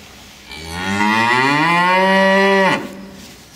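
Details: A cow lowing in protest, wanting back into its barn at the usual time while the keeper is late; one long, loud moo of about two seconds, rising slowly in pitch before breaking off abruptly.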